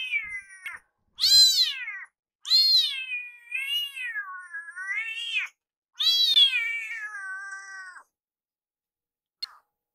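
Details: Rescued kitten crying loudly and repeatedly near its caretaker in the kitchen, pressing her to hurry with its food. Long, drawn-out meows rise and fall and sound like "iru iru", in bursts of about two seconds with short pauses.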